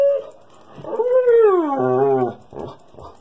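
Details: Siberian Husky throwing an attention-seeking tantrum indoors: a long, loud, wavering howl that rises then slides down, with a growly low edge near the end, followed by two short huffing grumbles.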